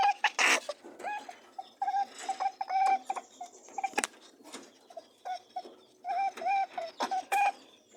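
Rabbits give short, nasal honks and soft buzzing hums in bursts, a sound made during mating.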